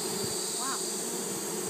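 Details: Summer 2012 conservation hive of Japanese honey bees as an extra box is fitted for more space. A dense low droning buzz holds throughout, with a brief faint sliding tone and a continuous high insect chorus.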